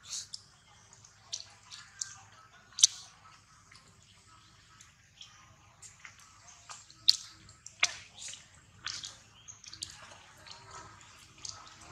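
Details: Quiet, scattered drips, clicks and small taps sound in a small room, with a faint low hum and no clear animal call.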